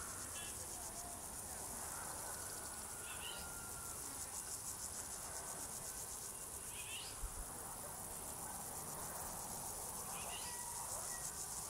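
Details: Singing crickets keep up an unbroken, thin, high buzz, joined by a few short rising chirps and a faint lower whistle from other animals.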